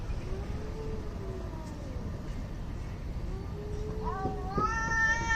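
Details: Angry cats in a fight trade long, wavering, drawn-out yowls that rise and fall. Near the end a higher, strained wail breaks out, rich in overtones, over a steady background hiss.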